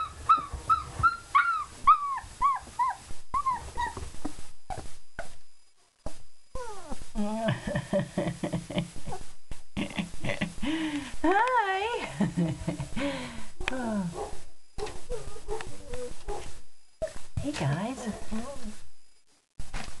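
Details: Litter of four-week-old German Shepherd pups after eating, crying with high whimpers at first, then lower, harsher wavering whines and grumbles in overlapping bursts, separated by brief quiet gaps and light rustling.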